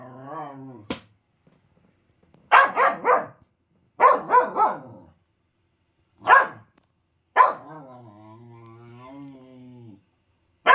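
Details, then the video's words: A five-month-old male Finnish Lapphund puppy named Triton starts with a low, droning grumble. Then come clusters of two or three short, sharp barks. He ends with another long, wavering grumble. "Barking and Grumbling (Finnish Lapphund Puppy)"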